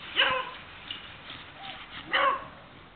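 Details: Beagle producing two strong barks about two seconds apart, softer whining yelps in between.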